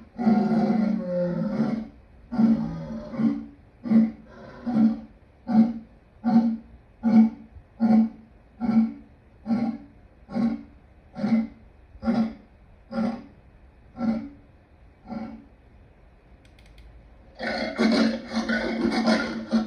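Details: Lion roaring in a long sequence of deep grunts that start close together and then spread out and weaken before a final loud, full-throated burst.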